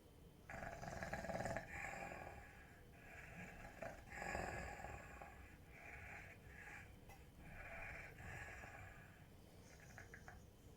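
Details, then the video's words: A Rottweiler asleep, breathing in rough, snoring rasps that repeat every second or two, each a breathy hiss over a low rumble. "Храпит ли Ротвейлер."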